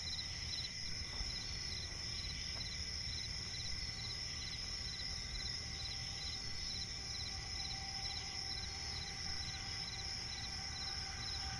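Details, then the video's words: Crickets in a night forest beside a swamp keep up a constant high thin trill, with fainter repeated chirp pulses and a couple of brief clicks early on, set against a low steady rumble. "cricket chirping relaxing sound in night forest"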